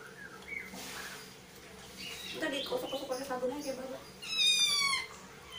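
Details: Kitten during its first bath; a soft, low wavering cry in the middle, then a loud, high, strained meow with strong harmonics around four and a half seconds, with splashing and a person talking quietly.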